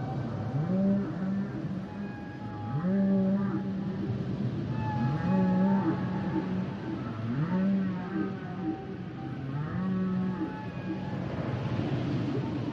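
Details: Humpback whale song: repeated low moaning units near the bottom of the range, each with rising and falling upper tones, recurring roughly every two to three seconds through the passage.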